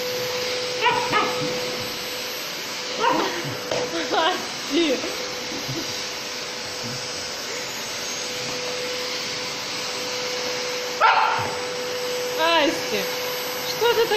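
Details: Samoyed Asti fighting a running vacuum cleaner at home, giving several short barks and yips at irregular intervals over the loud continuous roar of the machine.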